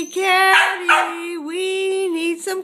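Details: Sealyham Terrier giving a sustained, steady howling whine with rich harmonics, holding one pitch with brief dips and a louder, rougher burst near the start.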